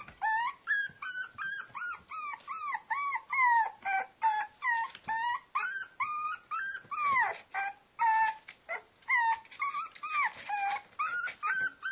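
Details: Caged puppy left alone for the night cries in a quick, uneven stream of high whimpers and yelps, many sliding downward, some clustered, with brief gaps between bursts.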